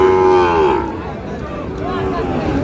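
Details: Sahiwal bull calves at the Khochabari cattle market, Parbatipur, Dinajpur, Bangladesh, on 10 April: one loud, deep moo in the first second falling at its end, then a fainter drawn-out lowing, over a murmur of market crowd and voices.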